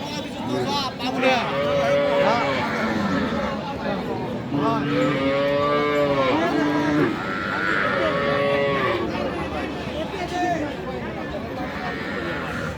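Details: Sahiwal cows with calves at Aftabganj cattle market in Dinajpur, Bangladesh, early February: several drawn-out harmonic moos, some falling in pitch, over a constant crowd murmur and men talking.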